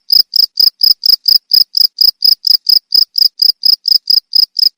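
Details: Chirping cricket meant for tutoring pet songbirds, producing a steady series of sharp, high trilled pulses about four per second, evenly spaced and loud throughout, against a silent background.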